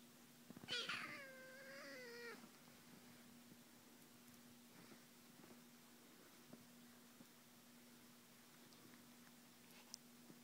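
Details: Two kitten littermates play biting indoors; one gives a single drawn-out, wavering meow lasting over a second, followed by quiet with soft scuffles and a steady low electrical hum.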